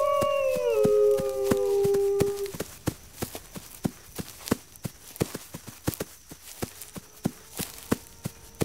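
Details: Wolves howling together in two or three descending voices that step downward and fade after about two seconds. A faint, low held tone follows beneath steady, regular clicking taps.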